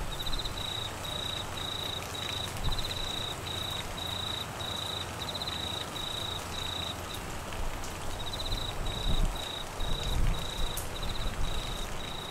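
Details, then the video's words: Crickets in monsoon rain in Queensland, Australia: a high, rapidly pulsed chirp repeated in short regular bursts, pausing briefly near the middle, under falling rain with low rumbling gusts. "Crickets and rain Sounds"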